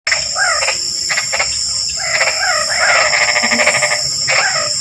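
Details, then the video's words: Frogs chattering nonstop: rapid, irregular bursts of chirping, rattling notes, some with short upward and downward pitch sweeps, roughly 86 per minute, over a steady high insect-like whine throughout. "Suara Kodok Ngoceh | Suara Katak Ngoceh Terus"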